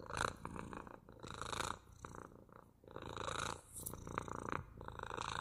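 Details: Quiet purring from a cat, a soft low rumble in uneven breath-paced waves, faint and close with slight rustling.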